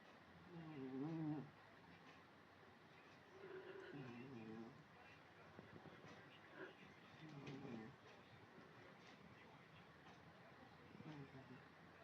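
A British Shorthair cat snores softly, with low rasping breaths returning every three to four seconds.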